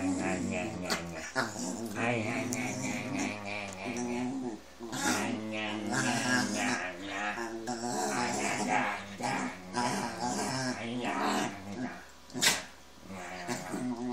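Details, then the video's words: Dog grumbling and mumbling: a long run of moaning, talk-like growls and whines rising and falling in pitch, with brief pauses between bursts. "talking dog - mad mumbling"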